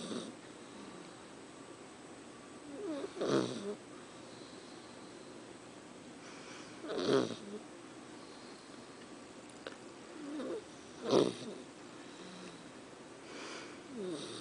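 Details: Sleeping puppy snoring in a quiet room: soft, rasping breaths swell and fade roughly every four seconds, with fainter breaths between them.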